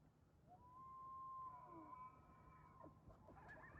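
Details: A distant bull elk bugling to his harem at daybreak on a chilly Sunday in Rocky Mountain National Park, iPhone recording; one long, pure whistled note rises and sustains for about two seconds before fading into rougher tones.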